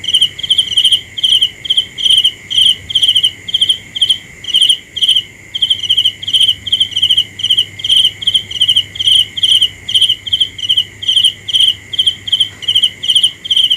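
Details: Steady night chorus led by one cricket's shrill pulsed chirps, repeated about twice a second with a brief pause near the middle, over a constant high background drone.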